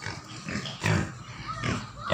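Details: Native pigs grunting in low, rough bursts around a second apart, with a person's voice speaking in Filipino nearby and a faint higher chirp mixed in.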